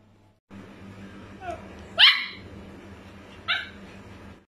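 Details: Hyper, playful Japanese Spitz puppy giving two sharp, high-pitched yips, roughly a second and a half apart, preceded by a soft brief whine, over a low steady indoor hum.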